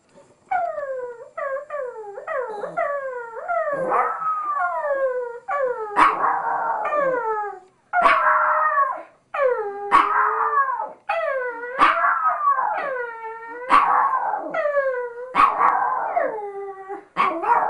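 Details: Chico, a pet Chihuahua, howls when talked to; sustained run of bending, falling howls and yips, strongly harmonic, repeating roughly every two seconds with brief breaks, loud and close.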